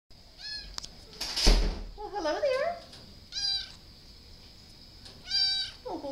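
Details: Domestic cat meowing in a series of short harmonic calls with pauses between, one longer wavering call in the middle, and a sharp bump or knock early on.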